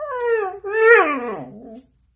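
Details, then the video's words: Siberian Husky, described as crazy and hyperactive, gives a two-part vocal howl: a steady tonal note, then a louder rising note that slides down into a wavering moan, fading after almost two seconds. "Husky dogs Crazy and Hyperactive"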